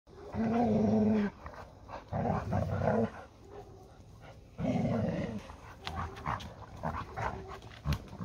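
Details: Labrador Retriever tussling with a Hungarian Vizsla, the pair named Málna and Ede, fighting over a ball; three sustained, rough, low growls of about a second each, separated by quieter gaps with scuffling noise.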